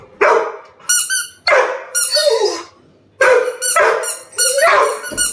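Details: Angry over a toy kept from him, Labrador Retriever Sam lets out bursts of rough barking paired with high, squealing whines, in two clusters split by a short pause, inside a small room.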